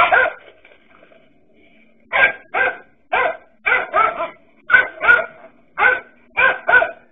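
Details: A king cobra draws steady barking from dachshund dogs: one bark, a short lull, then a run of sharp barks, often in pairs, about every half second.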